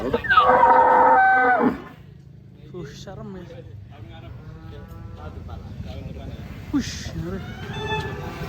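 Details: Huge, fat Pegon cow in Indonesia gives a loud moo lasting about one and a half seconds, its pitch sliding downward before stopping abruptly; quieter murmuring voices and low background rumble follow.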